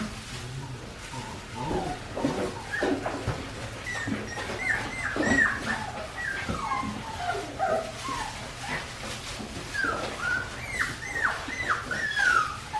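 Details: Several Australian Shepherd puppies, four weeks and five days old from Winnie's litter, keep up a steady chorus of short squealing whimpers and yelps. The cries overlap throughout against a background of rustling and movement.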